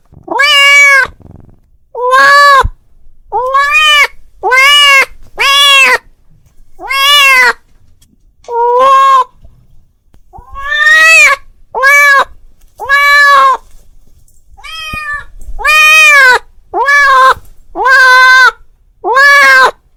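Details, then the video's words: Domestic cat calling its friend with a steady run of loud, clear meows, each short and arched in pitch, following one another at uneven intervals against a quiet background. "The sound of a cat calling his friend"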